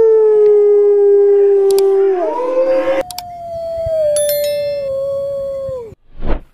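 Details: Wolf howling: a long, steady, pure-toned howl that rises in pitch after two seconds, then a second drawn-out howl that slowly falls and breaks off, with faint chimes and a brief thump at the end.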